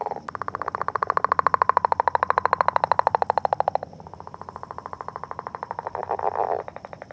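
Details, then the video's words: Northern leopard frog during courtship beside an egg mass: a rapid pulsed rattle swelling and slowly dropping in pitch for nearly four seconds, followed by softer chuckling pulses and a short grunting burst. "Leopard Frog Eggs and Courtship"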